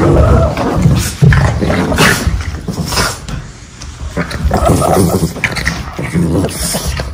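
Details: Pair of Boston Terriers wrestling at home in bitey-face play, using their shoulders: rough, rumbling growls rising and falling over thuds and scrabbling, a short lull midway, then renewed snarling grumbles.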